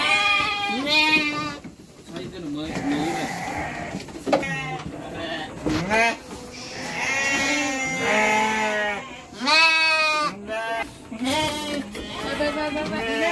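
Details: Three-month-old Garut lambs being sent to Purwakarta bleat again and again, loud quavering cries that rise and fall, several overlapping in quick succession over a busy, noisy background.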